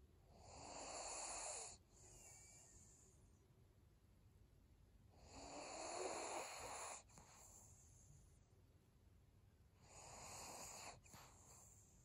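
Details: Senior pug Maria breathing in her sleep: three harsh, wheezing snore-breaths roughly every four to five seconds, each swelling and fading, with near silence between them.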